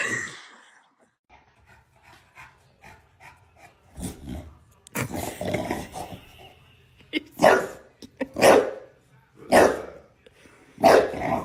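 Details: Dog barking: quiet scattered sounds and a soft growl at first, then loud, sharp barks in the second half, coming roughly once a second in a short run of four or five, with little else in the background.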